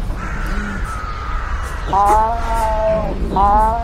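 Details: Sand cat calling in nature: a steady faint tone, then a harmonic, slightly wavering call lasting about a second, followed by a shorter similar call, over constant background hiss.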